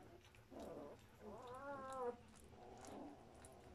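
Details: Two-week-old German Shepherd puppies from one litter; a clear, wavering harmonic whine near the middle, flanked by softer, lower squeaky cries before and after.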